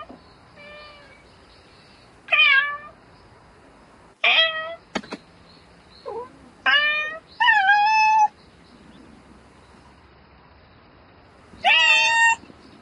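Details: Domestic cat meowing at night to call a mate, sharp rising-and-falling meows scattered with pauses, one faint soft call at the start, a click and a long gap before a last loud meow.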